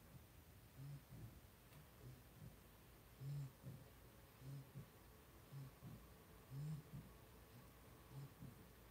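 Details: Indoor pen holding a litter of five two-week-old blenheim Cavalier King Charles Spaniel puppies: irregular low grunts and breathy snorts come every second or two, some louder than others, over a faint constant hum.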